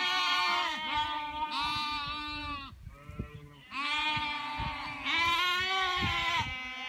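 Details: Sheep jumping across a small stream, two long wavering bleats separated by a brief pause with faint rustling, each call trembling and harmonic-rich.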